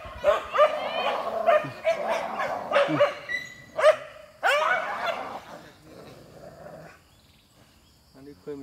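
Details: Dogs fighting, a wild dog against a group of dogs: a burst of rapid overlapping barks and yelps over the first five seconds, then quieter growling, with faint speech nearby.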